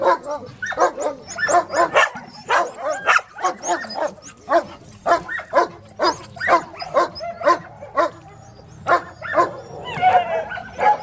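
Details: Several dogs at a dog shelter barking loudly and almost nonstop, short sharp barks overlapping in a rapid irregular chorus with a few higher yelps near the end.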